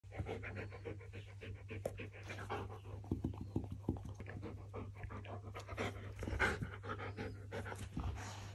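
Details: Siberian Husky panting steadily, with rapid breathy pulses repeating throughout over a low steady hum in the background.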